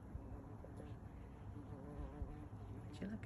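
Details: A large bumblebee buzzing close by in a yard, a low steady hum with stacked harmonic bands that wavers slightly in pitch, with soft background noise and faint human sounds.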